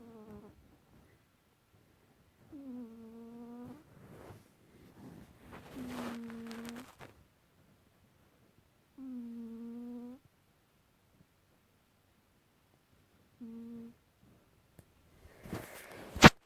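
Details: A domestic cat named Kitty snoring while taking an afternoon nap, each breath giving a steady low humming snore about a second long, recurring every three to four seconds, with a sharp click near the end.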